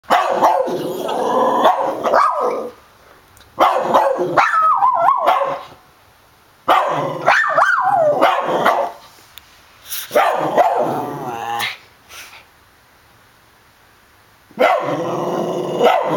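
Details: A dog barking in rapid clusters of sharp, rough barks, with bursts lasting one to two seconds separated by quiet gaps.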